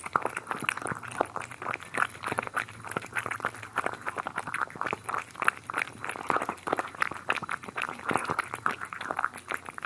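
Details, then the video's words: Cats eating, recorded close up: dense wet crunching and chewing clicks run continuously, with moist smacking and lapping noises throughout, no other sounds. "ASMR Cats Eating"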